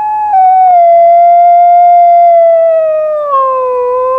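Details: A sustained, smooth howl from Rosco P Coltrane, a black wolfdog in a city snowstorm, holding a steady mid pitch with strong overtones before sliding gradually lower and breaking downward near the end.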